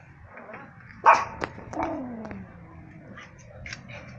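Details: Yorkshire Terrier, a small dog; one sharp high bark, then a shorter yip and a falling whine-like tail, followed by quiet with faint higher squeaks.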